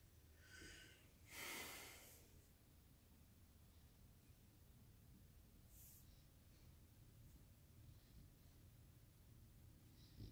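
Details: Sleeping French Bulldog gives a brief raspy snore, then one loud, harsh snorting inhale lasting under a second, followed by long quiet stretches of soft breathing and faint room noise.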